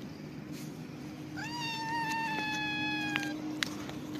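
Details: Homeless cat enjoying a head massage gives one long, drawn-out meow that holds steady and falls slightly at the end, with a faint steady hum in the background.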